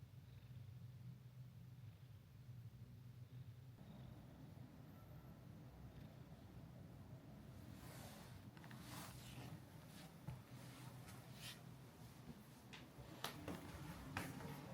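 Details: Mika-chan, the friendly resident cat of Minshuku Nozaki, a hot-spring guesthouse near the sea in Ito Onsen, Shizuoka Prefecture, Japan, settled on a lap and stomach; a soft, low, steady rumbling purr, later joined by faint clicks and rustling indoors.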